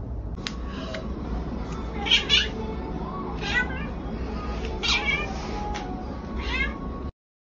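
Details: Orange tabby domestic cat giving a run of about five short, tonal meows spread over seven seconds, some rising then falling, a couple in quick pairs, over steady low background hiss with faint clicks.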